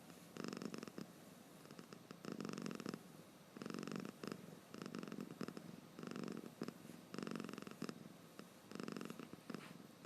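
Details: Sleepy domestic cat snoring with its eyes open, indoors; rhythmic raspy breaths in bursts of about a second, repeating steadily with short pauses between, in a quiet room.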